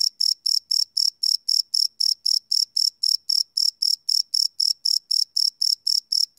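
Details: Crickets chirping at night, captured live on a field recorder: quick high tinkling pulses, about four a second, regular and clear over a quiet background.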